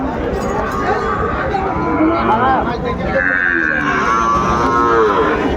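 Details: Sahiwal breed bull calf at a Kurigram cattle market in Bangladesh. Wavering, drawn-out lowing rises and falls over dense crowd noise and talk, with a clearer moo near the end.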